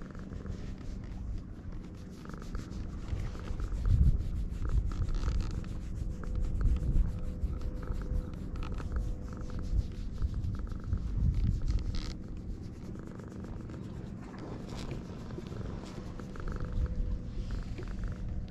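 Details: Stray cats on a Japanese cat island meeting for the first time, filmed on a GoPro HERO8; a low, continuous rumbling purr with uneven pulsing and soft rubbing or shuffling noises throughout.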